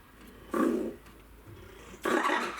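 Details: Red ruffed lemur kept at Saitama Children's Zoo in Japan, 3 February 2018: two loud, rough, roaring bursts about a second and a half apart, the first deeper and growling, the second harsher and brighter, with a quiet indoor background between them.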